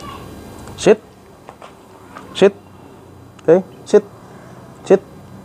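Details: Belgian Malinois in a training session: five short, sharp barks spread irregularly across about five seconds, each a brief broad burst, with quiet room noise between them.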